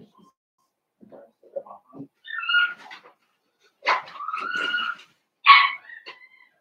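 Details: Young blenheim Cavalier King Charles Spaniels, one of five littermates born to Paris and Spike, indoors in a puppy pen: scattered soft whimpers build into squealing whiny yips and a shrill bark, with faint human murmuring.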